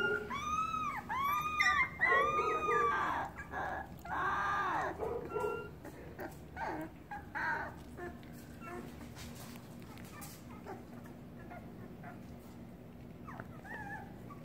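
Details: Puppies in a pen cry to their nearby mother as if starving; arched, rising-falling whines overlap in quick bursts at the start, then fade into softer scattered whimpers and clicks.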